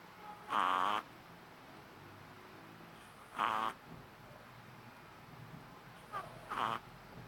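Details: Loud snores from a sleeping 3-month-old Shih Tzu puppy: three squeaky, buzzy half-second snorts spaced roughly every three seconds, the last one doubled, over a steady low room hum.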